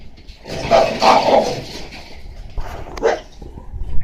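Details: Red-coated female Shiba Inu puppy, 48 days old, from a breeder in Osaka, Japan, recorded 27 May: a hoarse, breathy yap near one second long, followed by a shorter second bark, over a steady low background hum.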